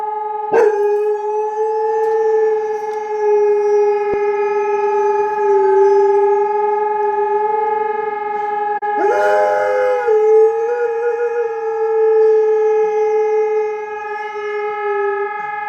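A dog howls in long, steady, wavering notes, set off by passing sirens.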